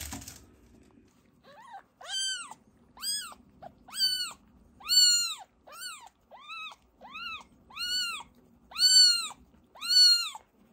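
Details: Fostered kittens, a rescued sister and brother taken in for emergency care, during toilet training: a run of about twelve clear arched meows, each rising then falling, spaced roughly a second apart, with a faint low hum underneath.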